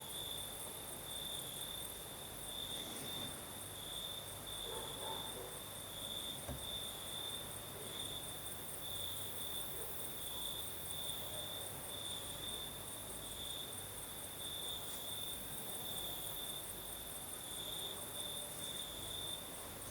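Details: Crickets singing at night in the south, in Crimea, with a night breeze: a steady high trill pulsing in short bursts, a fainter shimmering layer higher still, and a soft low rumble beneath throughout.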